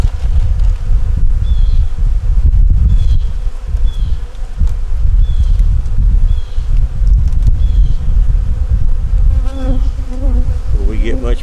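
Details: Honey bees humming inside an opened nuc during a winter hive inspection, a constant low buzzing drone with scattered knocks and clicks, faint high chirps, and a brief voice near the end.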